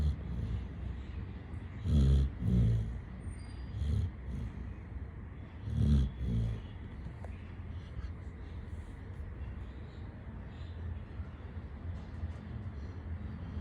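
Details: Sleeping Labrador Retriever named Chitti snores in deep, raspy double pulses, each pair an inhale and a snort, recurring about every two seconds early on, then fading to soft breathing over a low background hum.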